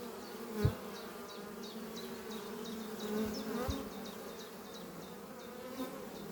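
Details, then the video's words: Workers of a strong honey bee colony flying at their oak-chest hive on a spring morning; constant low buzzing swarm drone with short rhythmic high bird chips and a couple of sharp taps. "Relaxing sound of bees flying at beehive Doppio on a spring morning"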